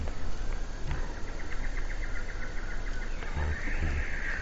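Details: A squirrel at Vácrátót gives a rapid run of sharp, evenly spaced chattering notes over low rumbling background noise.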